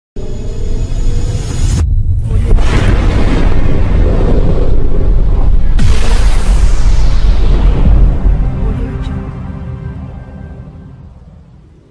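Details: Loud music with booming bursts and some speech at a horse race in Villagrán, Guanajuato, and no animal voice heard.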